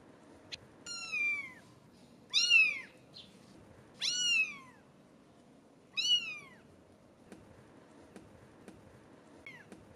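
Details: British Shorthair kittens, 17 days old, give high, thin meows that slide downward, repeated every couple of seconds.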